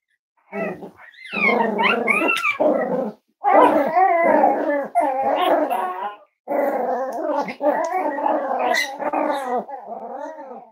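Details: Five-week-old Cavalier King Charles Spaniel puppies of Myra and Remy, kept indoors at Red Barn Cavaliers, letting out long, rich growling and howling bouts of several seconds each, broken by short pauses, with some yelps on top.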